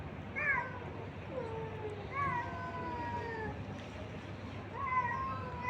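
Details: Abandoned street cats and kittens at feeding time, three separate meows spaced about two seconds apart, each starting high and sliding lower in a long wavering tone, over constant low outdoor hum.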